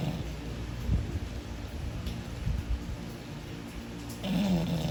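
An English Bulldog snores in low, rumbling breaths with a rough, throaty rattle.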